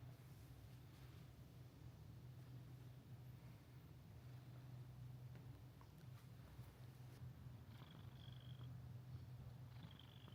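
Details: Continuous low purring from Mika-chan, the inn cat at Minshuku Nozaki near the sea in Ito Onsen, Japan, holding a constant rumble throughout, with faint high thin tones near the end and light rustling.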